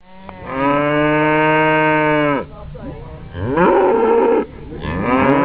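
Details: {'__c': 'Cattle mooing while stampeding out of a barn: one long, steady, deep harmonic moo held almost two seconds, then a shorter, wavering moo and the start of a third.'}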